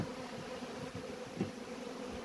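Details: Hungry bees buzzing in a steady, low, even hum that holds without a break, with faint background noise.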